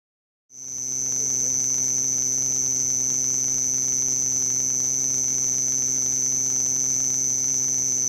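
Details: Male house cricket stridulating at its burrow entrance among stones and walls near homes at Hammam Lif, Gulf of Tunis, Tunisia, at summer nightfall. A loud, very high, unbroken trill starts suddenly after a brief silence, with a faint steady low hum beneath.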